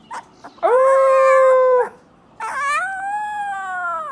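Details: A Siberian Husky puppy howling for the first time gives two high, wavering howls, the first steady and the second rising then fading.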